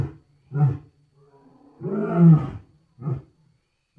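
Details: Wild lions give deep, booming roars, with a long moaning roar between shorter grunting bursts.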